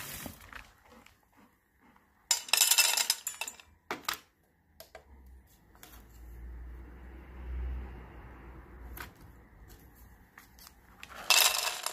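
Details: Dishes, pots and cutlery clatter in a small indoor room, with bursts of clinking glass and metal and a low hum between them.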